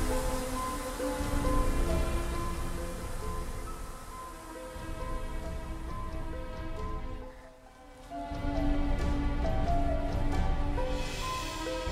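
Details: Layered music with a heavy low rumble and rain-like hiss that briefly dips near eight seconds, without any animal calls.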